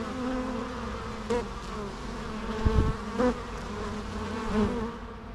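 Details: Natural bee sounds: a constant low buzzing drone with individual bees swelling louder as they pass close, three or four brief surges over the hum.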